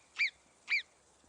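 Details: Two sharp, high Alpine marmot alarm whistles, each brief and falling slightly in pitch, half a second apart, from a colony in a Savoie valley in the French Alps, where they warn of predators such as golden eagles or foxes.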